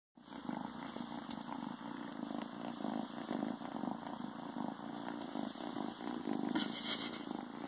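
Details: A male Ragdoll kitten, a few days after arriving in his new home, purrs while hiding in a pair of pants: a steady, low, rumbling pulse runs throughout, with soft rustling of fabric.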